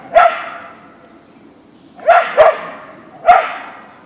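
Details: Siberian Husky (Ausky) named Boeing meeting a deer in the backyard: a single sharp bark, a pause of nearly two seconds, then a quick double bark and one more.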